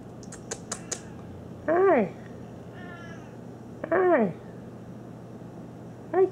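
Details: Domestic cat on a pool table giving three short meows, each a rising-then-falling harmonic cry about two seconds apart, with soft clicks at the start and a person's voice greeting it nearby.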